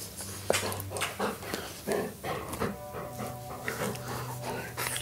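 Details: Golden Retriever eating treats, a very greedy dog known for loud mouth noises: wet smacking, licking and crunching bursts in quick irregular succession, with faint background music.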